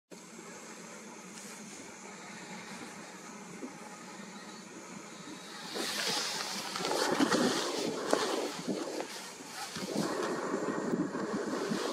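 Only wind and rushing, surf-like outdoor noise are heard, with no animal calls.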